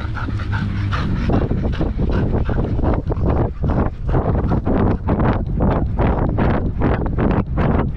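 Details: Belgian Malinois dog playing fetch in Cebu, Philippines: rapid, rhythmic panting breaths, about two to three per second, loud and close throughout.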